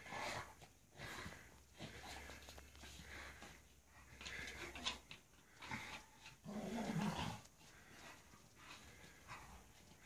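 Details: A Staffordshire Bull Terrier playing in snow huffs and pants in short breathy bursts, with one brief low grunt.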